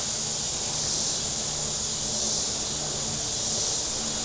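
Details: Cicadas calling from the shore of Table Rock Lake in southern Missouri on a very warm Saturday. A steady, high, hissy drone holds almost level throughout, with a soft low rumble underneath.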